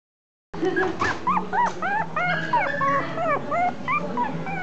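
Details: Female Chihuahua giving a fast, nearly continuous run of high, arched whines and yips, each rising then falling, several per second, with a faint low hum underneath.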